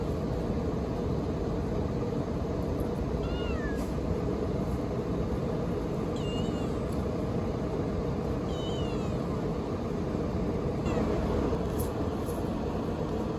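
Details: A cute baby kitten, a stray being fed, meows three times in high, thin, bending cries, each with a quick rise and fall, spaced about two to three seconds apart, over a steady low rumble of traffic noise.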